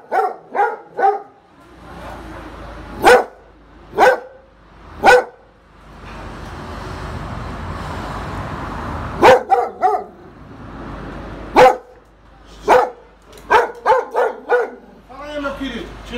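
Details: A neighbour's dog barks repeatedly in sharp, clipped barks, a quick triple at the start, then spaced single barks and a rapid burst near the end, over a steady background hum.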